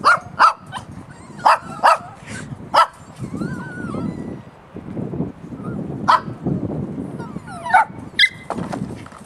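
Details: Puppies yelping in short sharp bursts with bright harmonic stacks, several in quick pairs, between drawn-out rising and falling whines; a low rumbling background murmur runs underneath throughout.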